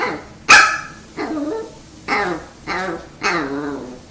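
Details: Pet dog performing in front of treats, indoors: one sharp bark opens, then four drawn-out, yowling whines, each wavering and falling in pitch, repeat about every two-thirds of a second.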